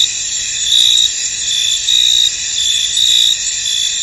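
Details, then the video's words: Crickets in a misty, foggy field: a dense, steady high-pitched chorus of trilling with louder pulsing swells roughly once a second, layered in several shrill bands, with no other clear sounds. "Tranquil Cricket Sounds In An Misty Field"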